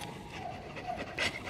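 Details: Black German Shepherd lying out in heat above 40 degrees, too hot in its black coat; brief rapid breathy panting, a burst of louder breath near the end.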